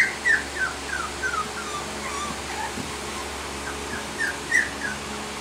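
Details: Twenty-week-old Sheepadoodle girl whimpers in a run of high, falling whines, each dropping in pitch, several in quick succession early on and another pair near the end, over a constant low electrical hum.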